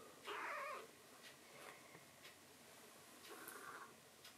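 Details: Young tuxedo foster kitten indoors at night after its milk, giving a short strained meow near the start, then faint soft sounds and room ticks.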